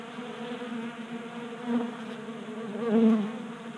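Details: Several honey bees feed from a 3D-printed bee feeder on a workbench in Colorado during unseasonably warm January weather. Their continuous humming drone rises twice as individual bees fly close past.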